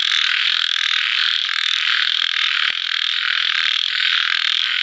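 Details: Chorus of small frogs at nightfall after rain, a continuous shrill, buzzing wall of overlapping croaks with barely any pause, one brief click partway through.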